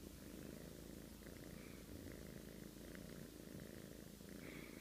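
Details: A cat snores in its sleep: a continuous deep, grainy rumble holding an even loudness throughout, with occasional faint higher rasping streaks.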